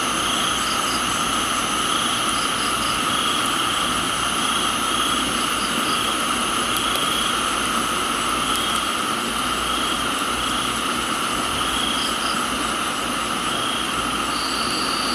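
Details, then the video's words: Crickets in a tropical garden in Thailand, a steady layered insect chorus of continuous high trills at several pitches, with faint repeated short chirps above, under a constant hiss of falling rain. "Thailands Tropical Garden, Rain and Crickets"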